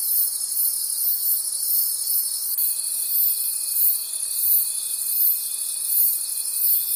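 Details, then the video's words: Crickets in a night forest keep up a dense, high, pulsing chorus of about three throbs a second; a constant thin whistling tone enters after two and a half seconds and holds to the end. "Cricket Conversations at Night"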